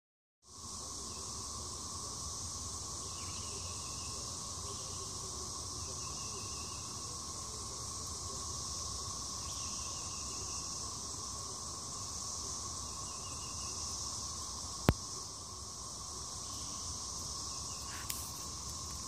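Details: A steady, hissing cicada chorus drones high and unbroken, with short buzzy pulses repeating underneath, recorded outdoors behind the Mississippi Museum of Natural History.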